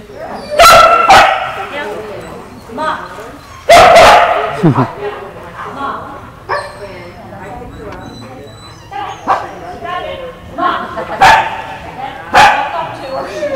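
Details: Australian Kelpie bitch herding goats during a test in the United States, giving irregular sharp barks in bursts, some doubled, spread across the stretch with people talking between them.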